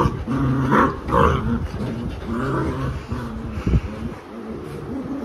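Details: Labrador Retriever mother growling while disciplining her unruly puppies; low rumbling growls with harmonic bands in pulsed bursts, mixed with puppy squeals and a woman speaking Hindi nearby.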